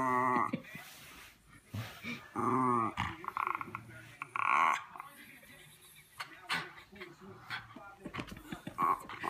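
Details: A female Miniature Schnauzer fooling around with her owner, something she does all the time, growls and whines in short bursts, with a person talking in between.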